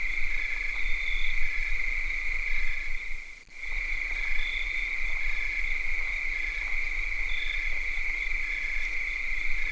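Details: Cicadas on a summer night: a steady, high, unbroken buzzing drone that holds one pitch, briefly cut off once partway through, with faint softer pulsing trills above it and a low background rumble.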